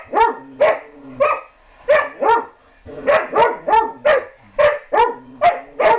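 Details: Playful German Shorthaired Pointer in a chase game, barking steadily, with short high yips coming in pairs and triplets about every half second.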